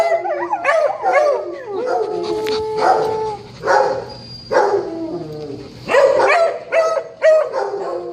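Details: Domestic dog howling the morning after a Cavs game: a run of wavering, harmonic howls broken into yelping bursts, roughly one every second, rising and falling in pitch, with short gaps between phrases and no other clear sounds.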